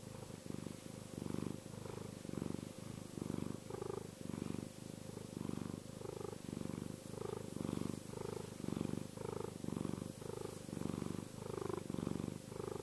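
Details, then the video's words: Chester the cat purring contentedly, a deep, even rumble rising and falling in regular breath cycles about once per second, clear and close with little background noise. "Chester Kitty Purring - cat purr!"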